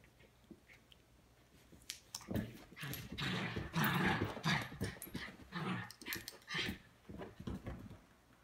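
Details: Miniature schnauzer tussling with a stuffed schnauzer Webkinz toy indoors; after a quiet start, rough, breathy growling bursts and snuffles come in uneven clusters for about six seconds, with scuffling noises between them.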